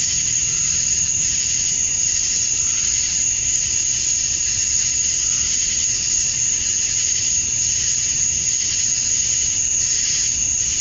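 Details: Male cicadas chirping at summer dusk outdoors in Georgia, USA, calling to attract females: a dense, unbroken high-pitched hiss with a steady piercing upper whine, barely varying over eleven seconds.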